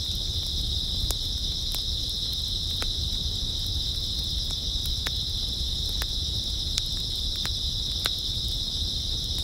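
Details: Continuous high-pitched trilling of many grass insects on an early autumn night, unbroken throughout, with irregular sharp crackling clicks now and then and a soft low rumble beneath.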